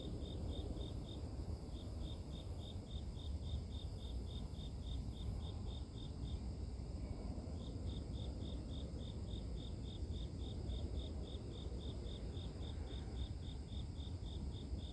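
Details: Rhythmic high chirps from grass insects repeat several times a second, fall silent for about a second near the middle, then resume at the same pace, all over a steady low rumble of noise.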